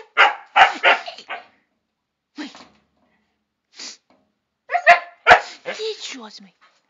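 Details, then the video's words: Pet dogs Chester and Laika answer back when told to leave the terrace: bursts of two or three rapid barks separated by pauses, with a few softer grunts and a person's voice mixed in. "Chester and Laika arguing"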